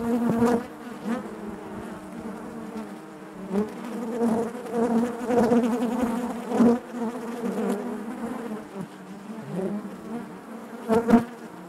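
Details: Loud, busy buzzing of honey bees inside the hive, a layered droning hum with frequent louder pulses and sharp ticking taps scattered throughout.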